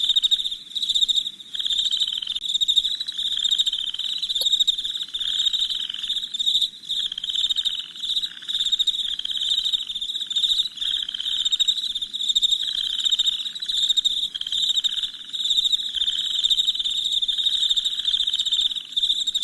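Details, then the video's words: Nighttime cricket chirping, a long unbroken high-pitched pulsed chorus with gentle swells and fades, a softer lower buzz beneath, and one brief click early on. "Soothing Crickets Chirping Sounds"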